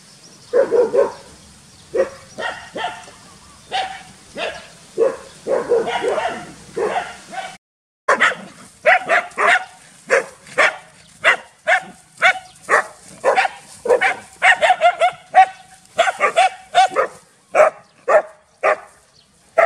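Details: Two village dogs, Pao and SokYaa, bark loudly as a frightened SokYaa joins in: a dense, almost continuous run of harsh barks, sometimes doubled or tripled, kept up for twenty seconds with only one short pause.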